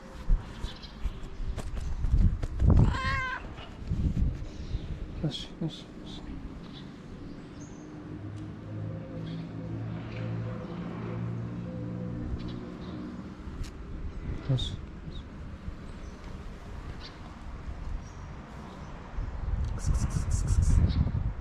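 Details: Homeless street cat in Morocco calling out because she is hungry: one clear, strongly harmonic meow early on, then low rumbling and handling noise, faint chatter and rustling outdoors.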